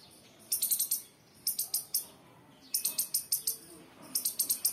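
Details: Squirrel chirping in sharp, very high bursts of four to six rapid clicks, each burst separated by about a second of quiet, with four bursts in total.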